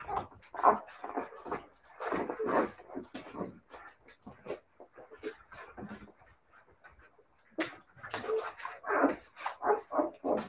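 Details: Siberian Husky puppies giving a dense series of short whimpers and yips in clustered bursts, loudest in the first three seconds and again after about seven and a half seconds, with a quieter stretch between.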